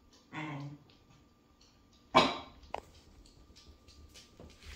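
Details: Pet female Springer Spaniel/Portuguese Water Dog cross reacting to something she thinks she hears; a soft whining yelp, then one loud harsh bark and a brief clipped sound, over low room hum and scattered rustling.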